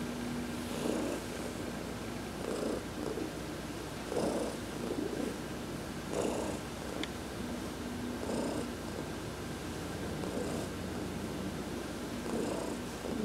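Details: Heidi, a pet cat, purring while massaged during a sun bath, November 19, 2020; soft rumbling purr swelling in pulses roughly every two seconds with each breath, steady low hum underneath.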